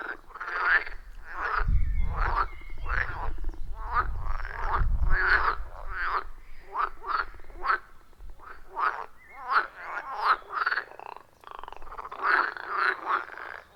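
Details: A chorus of wild frogs around a forest pond, recorded on an iPhone 14 Pro with a Shure MV88+: steady runs of rasping croaks from many callers, with a deep low rumble underneath during the first seconds.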